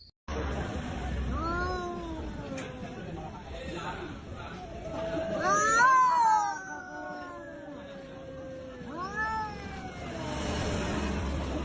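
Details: Orange cats quarrelling, trading drawn-out wailing caterwauls that rise and fall in pitch, with a louder peak near the middle, over steady background noise and music.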